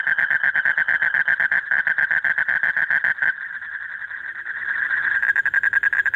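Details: Male Asian common toad calling continuously for a mate on a deep night in breeding season: clear rapid pulsed trill for about three seconds, then a smoother overlapping trill that swells back into distinct pulses.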